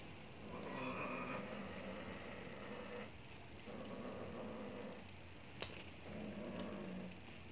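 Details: Neutered one-year-old Maine Coon attempting to mate with a 16-year-old Persian cat: repeated moaning, growly yowls in several long bursts separated by brief pauses, with a sharp click partway through and constant low hum.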